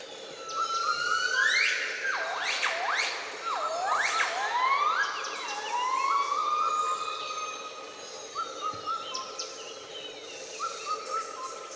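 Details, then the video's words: Pair of gibbons in a treetop crown in Laos, 2013, with a cuckoo interfering: a burst of steeply rising whoops and looping wails, then spaced flat whistled notes repeated as the song winds down toward its end. "Кукушка мешалась в пении гиббонов. Репертуар закончился, очевидно."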